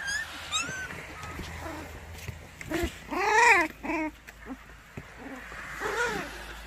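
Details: Several white Baekgu puppies in Cheongdo County, South Korea, being offered for adoption. Short arched whimpering whines, high and tonal with bright overtones. A cluster comes in the middle and one more near the end, with faint rural background noise.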